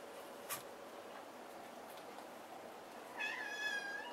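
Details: Maine Coon cat inside a box giving a single short harmonic meow near the end, after a faint tap early on; quiet indoor room background.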